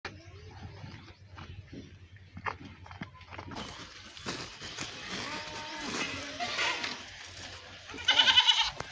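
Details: Domestic goats at milking and feeding time; wavering harmonic bleats come in a cluster through the middle and a sharp, bright cry near the end, with a man giving quick Hindi instructions and handling noises.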